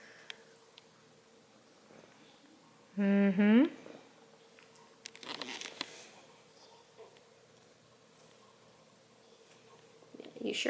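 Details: Whiny Redbone Coonhound puppy being bothered by a cat gives a single drawn-out tonal whine lasting about a second, steady and then rising at the end, in a quiet room with faint rustling and a person's voice nearby.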